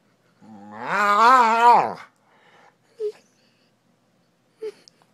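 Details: Duncan, a dog, decompressing on the couch after the day: one drawn-out tonal moan lasting about a second and a half, wavering up and down, then two brief soft sounds in a quiet indoor room.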